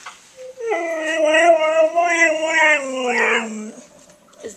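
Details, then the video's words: Siberian Husky among five playing together, Federer, Haro, Koda, Soco and Tikaani, gives a drawn-out wavering howl-like vocalization with rich harmonics lasting about three seconds, sliding downward at the end, with a person's voice nearby. "5 Siberian Huskies Playing and Talking"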